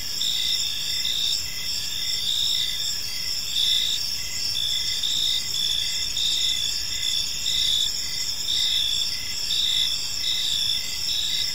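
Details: Park at evening filled with cricket song: dense high ringing trills and repeated pulsing chirps, overlapping callers keeping a near-constant chorus, with soft low-frequency ambient noise.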